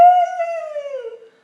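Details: Gracie the dog howls after a beautiful Sunday in the yard and a visit from Granny: one clear, sustained, tonal howl that slides slowly downward and fades after just over a second, with no other sounds.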